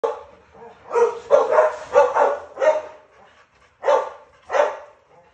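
A Rottweiler gives a run of short, harsh, mid-pitched barks with brief pauses between them.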